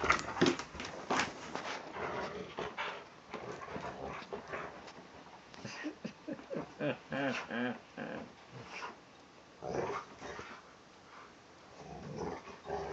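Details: Kodi, a crossbred Rottweiler and Tibetan Mastiff, wrestles with his beloved "Blankie" blanket, grumbling and growling in uneven bursts. Rising, moaning whine-growls cluster in the middle. A man talks and praises him now and then.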